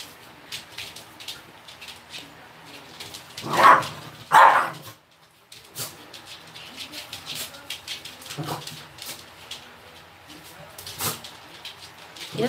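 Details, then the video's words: Minky, a young female Pembroke Welsh Corgi, playfully provokes an older Maltese mix housemate indoors. Two loud, close barks ring out in quick succession, followed by scattered fainter yips and scuffling noises. "현실남매 싸움편 / Welsh kogie a real-life fight"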